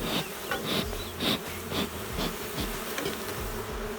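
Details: Honey bees in a queenless, drone-laying hive: a dense, steady buzzing hum with pulsing, brighter surges about twice a second and a low droning undertone throughout.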